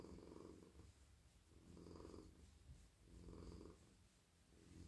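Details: Male domestic cat purring while melting in a lap as his head, neck and body are stroked; a steady low rumbling purr that swells and fades in slow breathing cycles about every one and a half seconds.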